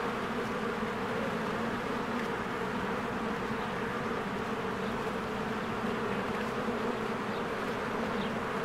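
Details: Many honeybees flying around their hive in springtime produce a constant, full droning hum with pronounced low-mid bands, level and unbroken, and only occasional faint high bird notes.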